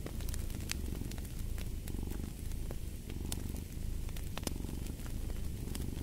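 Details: A purring cat gives a dense low rumble, swelling and easing with its breathing, while popping crackles from a fireplace sound throughout.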